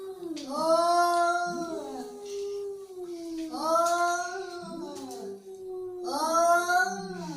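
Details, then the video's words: Angry cat giving three long, drawn-out yowls about two seconds apart, each rising then sliding down in a rich wavering tone, indoors. "Angry Cat Sound"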